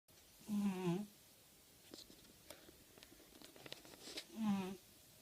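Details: Motya, a female cat, snoring indoors in a small room: two nasal, buzzy snores with a low droning tone and stacked overtones, each about half a second long, spaced roughly three and a half seconds apart, with faint soft rustles between them.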